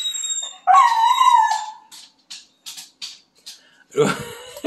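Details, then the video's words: Siberian Husky named Owen, an excitable and happy dog at home, singing quietly while playing with his owner during a break from bathroom renovations: a wavering howl held near one pitch for about a second, then scattered clicks, shuffling and a rough vocal burst. "Husky Owen Plays And Sings"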